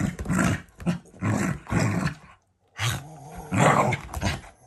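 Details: Pet Shiba Inu growling as a loving display toward its family, not from anger. Loud, throaty growls rise and fall in several long rumbling bursts, broken by one clean pause just before the final, strongest stretch.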